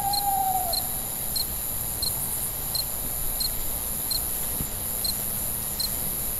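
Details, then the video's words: Night crickets giving evenly spaced, high, bright chirps against a constant shrill insect drone, with a brief falling hoot-like whistle at the very start. "Cricket, Sounds at Night"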